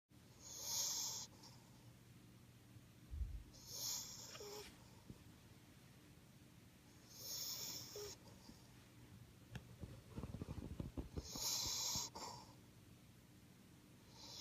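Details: Potato, a cream male French Bulldog born 26 September 2015, snores indoors on 30 April 2016 after neutering and nasal stenosis surgery: breathy, wheezy hissing bursts recur roughly every four seconds, with quiet rustling between.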